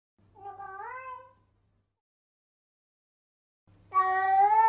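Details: Kitten with a soft, rising-then-falling mew, a long silence, and then a much louder, bright meow starting abruptly near the end.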